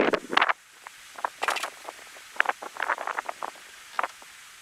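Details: African wild dogs give short, high chirping and squeaky calls in quick irregular bursts during mating.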